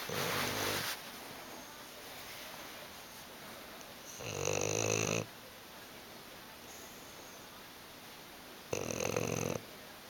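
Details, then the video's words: Quiet, drowsy bulldog Hugo snoozing on the sofa: three separate short snoring breaths, each about a second long, spaced roughly four seconds apart, with near silence between them in a small indoor room. "Hugo the snoring bulldog"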